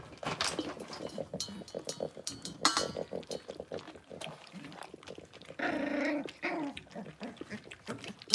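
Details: Six-week-old blenheim Cavalier King Charles Spaniel puppies, a litter of five in an indoor puppy pen, make a busy mix of rough growls and a banded, whiny cry near the end, with scuffling and clattering throughout.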